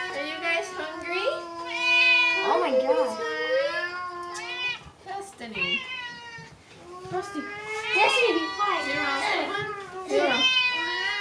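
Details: Two Bengal cats eating and not wanting to share, giving drawn-out wavering yowls and moaning meows that bend up and down in pitch, overlapping in several long bouts.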